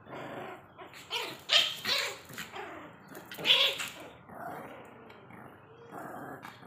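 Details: Mini Pomeranian puppy playing with a person indoors, giving short high-pitched yappy barks and little growls, two sharp barks standing out near the start and middle, mixed with scuffling and soft play sounds.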